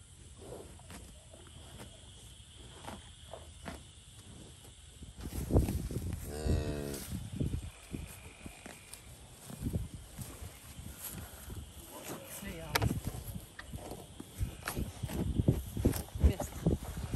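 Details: Pasture scene with Limousin and Angus cattle: a strong, low bellowing moo rises and falls over about a second and a half, followed by a man talking and handling noise.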